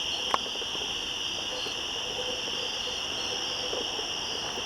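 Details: Cicadas yammering in the woods atop switchbacks on 1 September 2014: an even, high, insistent buzzing drone fills the clip, broken only by one sharp click near the start and a few faint ticks.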